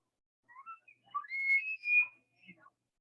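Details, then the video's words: Elk bugling in a meadow in Rocky Mountain National Park, played back for listeners: a thin whistle slides upward in short steps, holds a long high squealing note, then breaks off with a few brief lower notes. "But for my person who voted for an elk, yes, that was the sound of an elk bugling in a meadow. So weird, right?"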